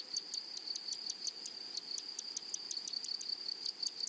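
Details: Meadow grasshoppers singing: a constant high-pitched whine overlaid by quick, regular ticking pulses that repeat several times a second without pause, in a quiet natural setting.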